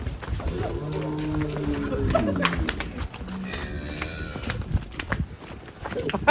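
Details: Large black Belgian Blue cattle being let out of its pen, giving a long low moo of about one and a half seconds that dips at the end, then a shorter low call, amid people talking excitedly nearby.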